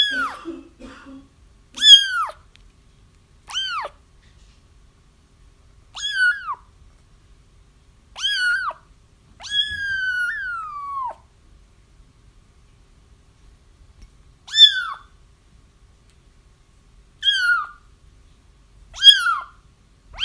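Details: Crying kittens recorded to help trap a feral mother whose kittens were already found; a string of short rising-falling mews at uneven intervals, with one long drawn-out wail near the middle and faint low rustling early on.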